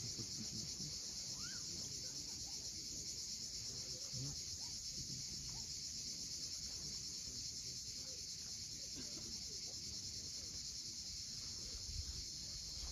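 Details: Cicadas droning at sunset above the sea at Cape Fiolent, Crimea; their continuous high, hissing buzz never pauses, while waves murmur low and occasional short bird notes rise faintly through the mix.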